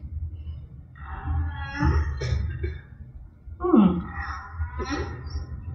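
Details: A single humpback whale sings slow, moaning tones with rising and falling sweeps, from an early recording of humpback whale song.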